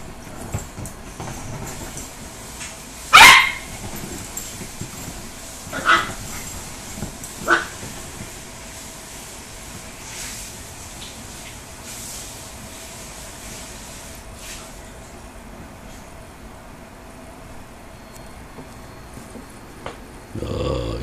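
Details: Dachshund puppy Brucey and five-year-old teacup Yorkie Mousey at play indoors: one loud, sharp bark early on, then two shorter, softer yips a few seconds apart, followed by quiet rustling and low background hum.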